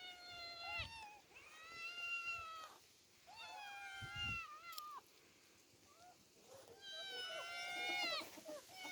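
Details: Demi and Dena, two orphaned female cats, out in open nature for the first time. They give a run of high, harmonic meows, some drawn out and bending downward, several overlapping, with short quiet gaps between calls.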